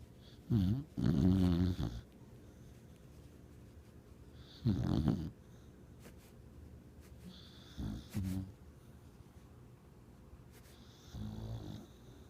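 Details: A dreaming pet dog snoring indoors: low rumbling snores in separate bursts, three louder ones near the start, middle and end of the clip with quieter snorts between, in a small quiet room.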